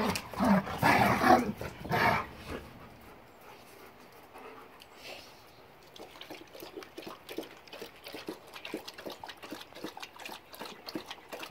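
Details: German Shepherd Boxer mix dogs playing, filmed January 26, 2021: a loud burst of rough growly vocal noise in the first three seconds, then quieter rapid scuffling and panting taps repeating for the rest.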